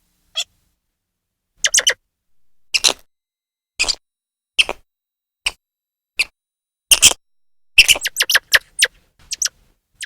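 A grey squirrel gives sharp, high chirps and chucks in irregular bursts, some quickening into rapid runs.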